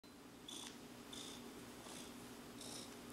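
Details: Clarence, a big relaxed cat described as in kitty nirvana, purring softly with breathy bursts about every 0.7 seconds over a steady low hum, quiet room tone behind.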